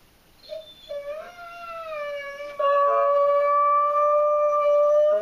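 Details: Abby, a German Shorthaired Pointer, howls from separation anxiety indoors; a short whine swells into a long, steady, sustained howl with clear harmonics, growing louder and holding its pitch to the end.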